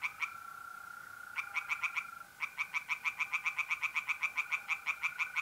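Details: Singing tree frogs at a pond on an April night in north-east Italy: a couple of short croak bursts, then a longer run of quick, regular rasping notes, with the steady buzzing trill of mole crickets behind.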